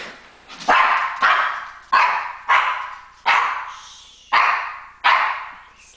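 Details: Barking from a pet female dog protesting her owner's shower: seven loud, rough barks spaced roughly every 0.7 seconds in a steady run, each sharp at the start and tailing off.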